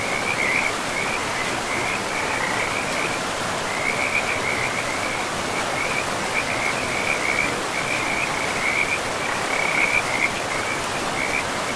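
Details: Frogs calling along a river deep in pristine forest. Short, high, chattering trill bursts come in quick succession for the whole stretch, set against a dense, even wash of river noise.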